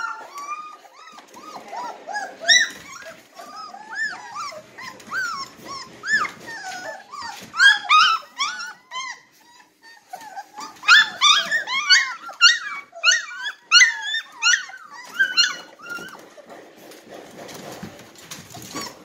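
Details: Litter of three-week-old Red Golden Retriever puppies ready to nurse, a chorus of high squeaky whines and yelps, sparse at first, then dense bursts of rising cries from several pups.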